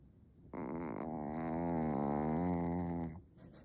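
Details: Small Maltese dog in pretend sleep gives one sustained rasping snore of roughly two and a half seconds, wavering slightly in pitch, indoors with near silence before and after.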